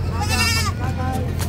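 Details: Goats at a livestock market in San Carlos City, Pangasinan, February 15, 2025: a wavering, quavering bleat rises then fades, with people talking and busy market noise behind.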